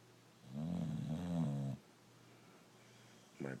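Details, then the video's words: Sleeping brindle Boxer named Rocco gives one deep, vibrating snore just over a second long, then falls quiet; a short burst of human voice comes at the very end. "Boxer dog snoring away"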